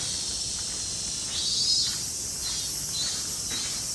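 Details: Robust cicada (min min semi) singing a dense, hissing high-pitched buzz. It grows louder and brighter after the first second and a half, with faint pulsing and light background crackle.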